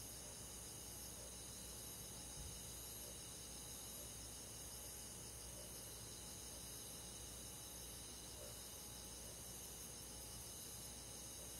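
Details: Crickets and other insects on a summer night in the countryside form a steady, dense, high-pitched shimmering chorus with several continuous bands that hold constant throughout, quiet and even, with no other clear sounds.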